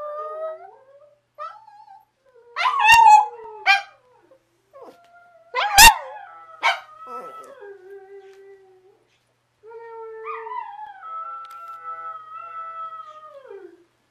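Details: Abby howling along with another dog: wavering howls and yips, a few loud barky bursts in the middle, then long steady howls gliding downward at the close.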